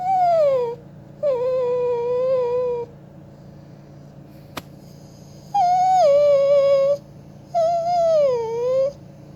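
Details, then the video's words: Pet dog singing opera indoors after being told to sing, producing four sustained, tuneful howls separated by short pauses, each one wavering and sliding downward in pitch, with a faint steady hum in the room. "My singing dog"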